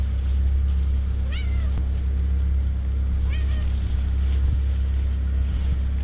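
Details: Two domestic cats wanting to be petted at the same time and jealous of each other; two short rising-then-falling meows about two seconds apart over a constant heavy low rumble, like an engine.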